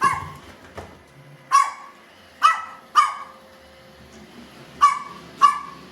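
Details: Pet Chihuahua at home beside a baby, both curious about a robot vacuum cleaner: sharp, high yapping barks in irregular bursts, about seven over six seconds, some in close pairs, over a steady low hum.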